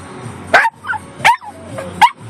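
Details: A one-year-old Yorkshire Terrier named Peanut screaming in a car: three sharp, high yelping screams, roughly one every three-quarters of a second, with a woman's excited voice between them.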